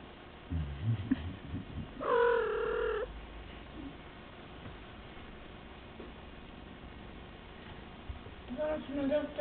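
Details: A household kitten gives a single clear, sustained meow between stretches of human talk and low room noise. A few fainter mews follow at the end.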